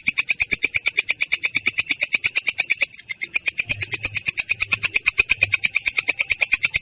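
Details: Katydid (belalang kecek) singing in the continuous rolling style called ngerol, described as clear yet rough: a long train of dry, scratchy high pulses in steady rapid rhythm, with one brief break near the middle.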